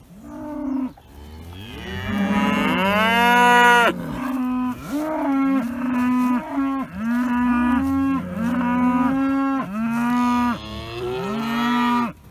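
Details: Dexter cattle that started lowing very early in the morning, wanting a gate opened to new grass; a loud chorus of long, steady moos, repeated roughly every second or two, with overlapping voices and breaks.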